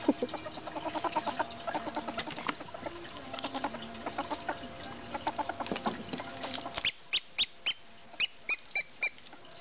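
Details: A female pet ferret, excited about her toys, chattering: rapid, buzzy clucking pulses, several per second, through the first seven seconds, then a slower run of regular, sharp, high squeaks.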